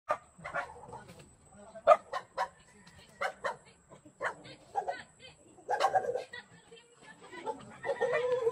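A dog barks in short, sharp bursts, some coming in quick pairs, with a faint high steady whine behind.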